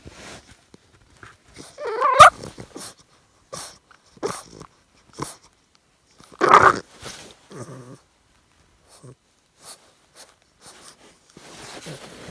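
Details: English Bulldog puppy, 13 weeks old, during its nightly chaos before bedtime, living in a converted van: two loud drawn-out whining growls with wavering pitch, surrounded by short huffs, snorts and grunts, then soft breathing.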